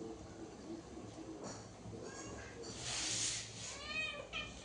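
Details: Domestic cat giving a few short, arching meows late in the clip, each with stacked overtones, over a steady background hiss and faint low hum.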